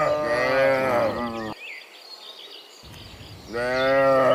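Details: Cows heading back from the fields to the pen in the afternoon; a loud wavering moo, a brief quiet gap with birds, then another strong rising moo.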